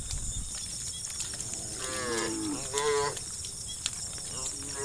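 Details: Cows in a herd of hundreds walking along a dusty road, mooing to call the herd: two modest moos in quick succession, the second rising and a little louder, then a faint short call, amid noisy background hiss.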